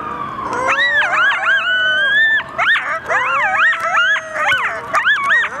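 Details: Coyotes howling and yipping together in response to sirens, a chorus of wavering, sliding high howls overlapping with quick yips, several voices at once with brief pauses.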